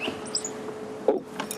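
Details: A dwarf mongoose gives one short, sharp alarm chirp over a steady low hum, with faint high twitters. A hornbill flying over startled the group, and they all fled down to safety.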